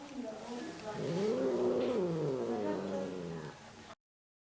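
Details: Grumpy female shelter cat in Germany "talking": one long, wavering, moaning meow that rises, holds, then slowly falls over about three seconds, with faint background noise.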